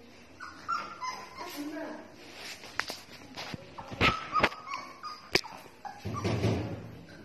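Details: Pit bull puppies giving thin, high whimpering whines that rise and fall, mixed with short yips. People talk throughout, with sharp clicks and handling knocks.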